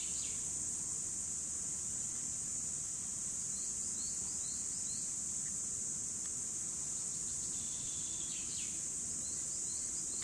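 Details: Continuous shrill drone of cicadas recorded in 2017, constant in pitch and loudness, while small birds add faint scattered short chirps and sliding notes in the background.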